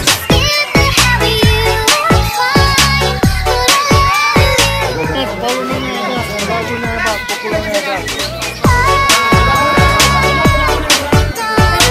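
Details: Loud music with a steady beat and some speech, and no animal sound stands out.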